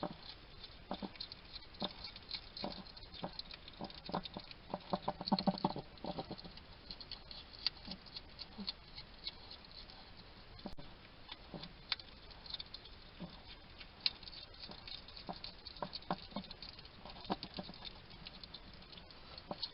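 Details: Chewing and chatting to himself, a little wild male hedgehog feeds at a garden feeding station in Somerset, UK; dense sharp clicks and moist smacking crunches come in uneven clusters, heaviest early on, with quieter patches between.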